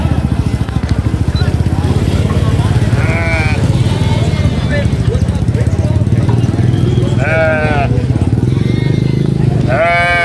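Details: Baby goat screaming during vaccination on a sheep farm: three harsh, wavering bleats at intervals, the last cut off, over loud human speech and a steady low engine-like rumble.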